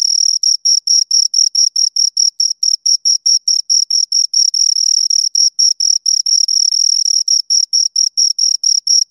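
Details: Shrill, bright chirps from two crickets repeat rapidly and steadily, occasionally merging into a short continuous buzz when both chirp at once; otherwise quiet.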